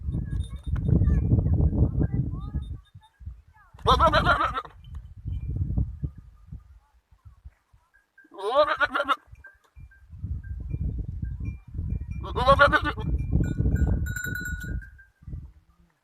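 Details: Young goat kids with a big Kamori goat on a farm, bleating in three separate wavering, nasal calls spaced several seconds apart, with steady low rumbling noise between them.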